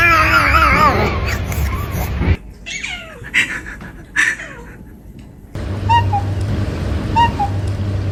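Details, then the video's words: Domestic cat calling: a long wavering, warbling cry, then a few short meows sliding sharply downward in pitch, followed by brief chirp-like notes about a second apart over a low hum. "Funny cat sounds"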